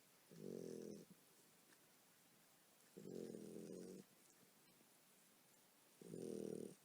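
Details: Tired mother dog snoring in her sleep while her puppies nurse: three rough, rasping snores, each about a second long, recurring roughly every three seconds over a faint background hiss.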